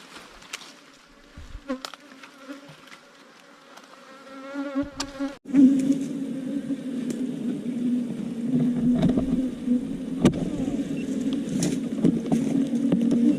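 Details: Wild ground bees, small cavity-nesting bees that build nests in underground hollows or termite mounds, disturbed as their nest is dug out. A quiet, tonal opening gives way to a sudden, loud, dense low droning buzz that continues steadily to the end.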